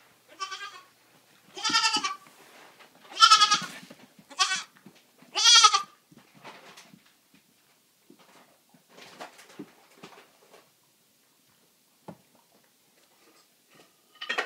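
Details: Just-rescued baby goats, a black LaMancha and a sable Nubian, wanting their bottles indoors: four short, loud, quavering bleats within six seconds, then quieter rustling and a soft cry near the end.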